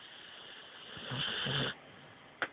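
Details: A domestic dog snores in a quiet room: a short, gravelly snort-like breath under a second long, rough and breathy, then near silence ending in a sharp little click.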